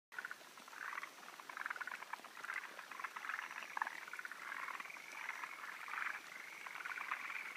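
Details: Forest green tree frogs at a spawning site on 16 June 2013, where males wait on high perches for females; a dense chorus of rapid, chattering, rattling calls that overlap continuously with no clear gaps.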